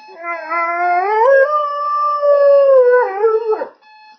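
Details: Pet dog howling in response to an alarm clock: one long, clear, tonal howl that slides upward, holds a wavering steady pitch for about two seconds, then drops away; faint steady electronic beeping tones at the very start and end.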